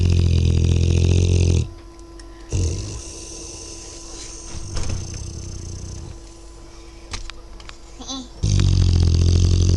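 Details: Dozing Dogue de Bordeaux puppy snoring loudly indoors, its snore a deep, heavy low-pitched rumble at the start and again near the end, separated by quieter breathing with faint clicks and background noise.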